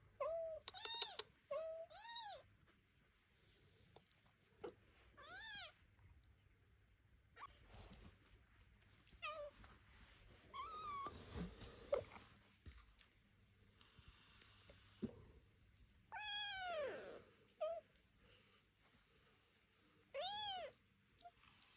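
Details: Young Devon Rex kittens meowing indoors while learning to walk under their mother's and aunt's watch, on a first outing from the birthing box; high arched mews come in scattered bursts, with rustling and faint human movement in a small room.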